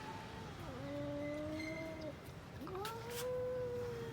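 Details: Domestic cats, an orange-and-white cat among them, squaring off in a fight: long drawn-out yowls that dip, then hold steady and slide slowly, two long wails separated by a short break.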